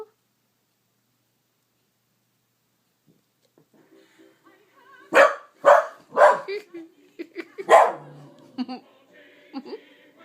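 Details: Female pet corgi indoors, barking at a TV commercial she dislikes every time it airs: four sharp, loud barks about half a second apart, a short pause, then a fifth bark, followed by faint TV sound and soft background voices.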